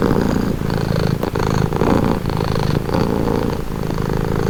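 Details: Close, loud purring from a domestic cat: a thick, buzzing low rumble pulsing in quick breath cycles with slight dips between them.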